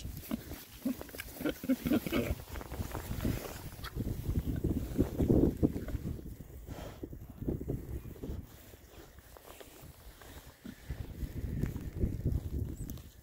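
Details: Six rare breed Oxford Sandy and Black boars, happy pigs on a winter forage between storms; low, rough grunts come in dense irregular bursts, louder midway, with rustling and snuffling as they root about.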